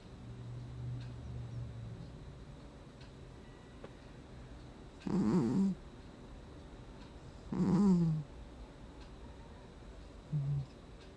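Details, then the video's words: Gnusmas, a cat asleep, August 2020, snoring: quiet low murmurs early on, then two louder raspy snores with a wheezy edge about two and a half seconds apart, and a short final snort. "Кот храпит во сне"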